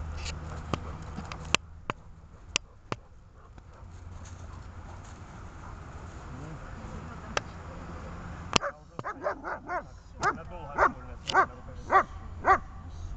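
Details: Dog trained on an elastic line in grip, fight and calming work; after sharp snapping clicks and quiet talk, it breaks into a rapid run of about ten harsh, rising-falling barks roughly twice a second over low background hum.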